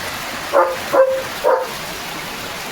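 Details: Pet German Shepherd named Leo barks as heavy rain begins, reacting to the downpour; three short, sharp barks roughly half a second apart, with continuous loud rain hissing throughout.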